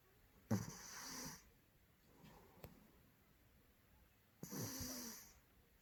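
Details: A large male Maine Coon cat snores in a sleeping rhythm in a quiet room, each harsh, hissing, rasping snore about four seconds apart, with a soft wheezy breath between them.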